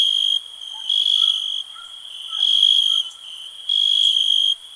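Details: Cricket chirping in a peaceful nature ambience: a steady high trill broken into pulses of about a second, rising and falling in loudness, with faint lower chirps from other callers underneath.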